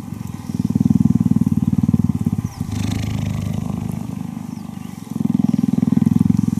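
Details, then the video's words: Cheetah purr during cuddling, a loud rapid low throb that weakens to a softer hum for a couple of seconds and then returns at full strength. "Cheetah Cuddling & Purring"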